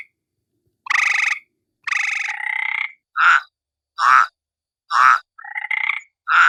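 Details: At night, a frog gives loud, nasal, croaking notes, each about half a second long, roughly once a second.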